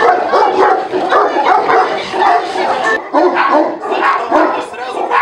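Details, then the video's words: Working-quality test at the Nasledie Tibeta kennel, Russia: an untrained Tibetan Mastiff confronts strangers it does not know. Harsh, overlapping barks with a break near the third second, and shouting people underneath throughout. "Tibetan Mastiff attack - protection dog test"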